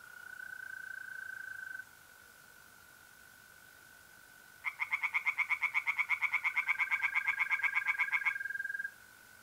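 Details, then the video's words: Pond at night in mid-April, north-eastern Italy, with a mole cricket trilling steadily. After a quiet gap, singing tree frogs burst in with a long series of rapid, rasping, regularly repeated pulses lasting several seconds, then fall silent. "relaxing singing tree frogs in pond and trilling mole crickets by night"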